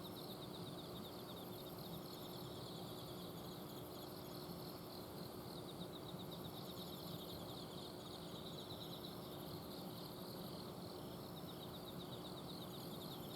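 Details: Night chorus of autumn insects in a garden in Azumino, Japan. Rapid, even pulsed chirping at two high pitches runs throughout, while an air-conditioner outdoor unit hums steadily underneath.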